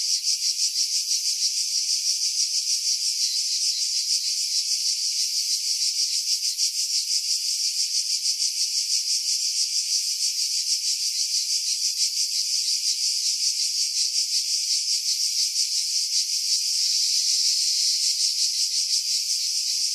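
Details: Cicada chorus in July 2018 among pines above Pefkos Bay on Skiros, Greece: unbroken shrill rasping drone with rapid regular pulsing, steady loudness throughout, low sounds stripped away by filtering against wind buffeting.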